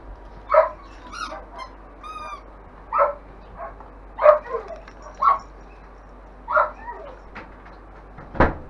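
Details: Longhaired German Shepherd puppies, five weeks old, from a kennel litter, let out a string of high yelps and squeaky whines, about seven bursts, with a thin whistle-like tone and a sharp thump at the end.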